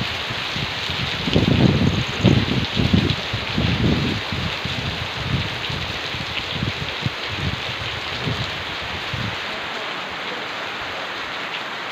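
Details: Heavy rain drums steadily on a surface, with some louder low thumps early on and no clear animal call.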